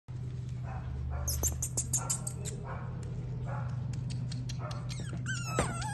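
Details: French bulldog puppies, male and female, in Haldwani, Uttarakhand, give a scatter of short high yips and thin whimpers among a few rough bark-like bursts, over a steady low mechanical hum.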